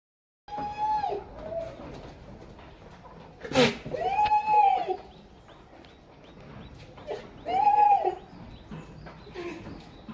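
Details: Male and female goats during mating: three arched, harmonic-rich bleats, each lasting about a second and recurring every few seconds, with a sharp click near the middle and low background noise.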